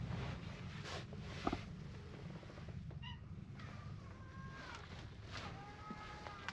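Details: Stray cats gathering in numbers until they surround the person: a short high mew near the middle, then two drawn-out, gently falling meows toward the end, soft against steady low rumbling and outdoor rustling.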